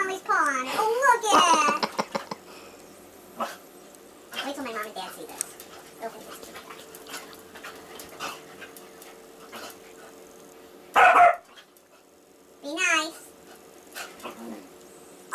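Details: Indoors, a labradoodle named Molly tussles with Casey, a six-year-old AKC basset hound rescued from a puppy mill: repeated rough, wavering growl-like vocal bursts, strongest at the start and twice near the end, with a woman talking and scuffling between them.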